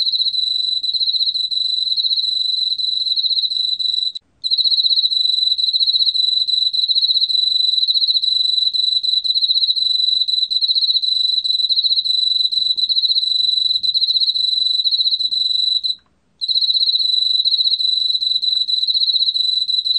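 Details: Korean field cricket from a 2020 National Institute of Biological Resources recording: a steady, high, ringing trill of fast pulsed chirps, broken by two brief pauses near four and sixteen seconds, with no other sounds.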